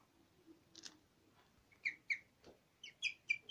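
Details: Nyusha the guinea pig singing: after a quiet stretch with faint background rustle, sharp high chirps start up, spaced at first, then coming in a quicker run of four near the end.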